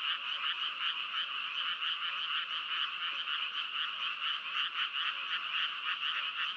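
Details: Many frogs croaking together, a thick steady chorus with rapid uneven pulses of nearly two per second layered over a constant high drone.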